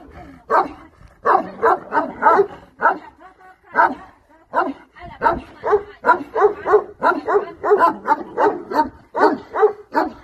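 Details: Bucovina Shepherd dog barking in rapid bursts, short harsh barks repeated several times a second with brief pauses, a person speaking nearby.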